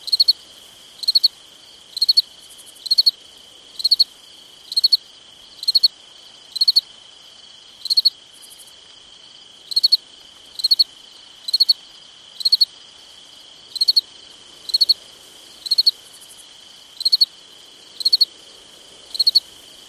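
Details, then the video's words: Cricket on a summer night chirping without pause, about twenty triple-pulsed high chirps at close to one per second, layered over a steady thin ringing tone. "Summertime Night Sounds Sleep Noise Crickets Night Stars"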